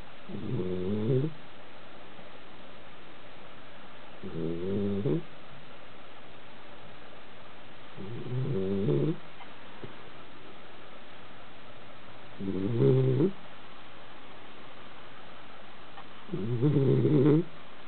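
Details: A Basenji asleep on the couch, snoring steadily: five deep, fluttering, rattly breaths, each about a second long, recurring every four seconds or so, with nothing else heard in the quiet room.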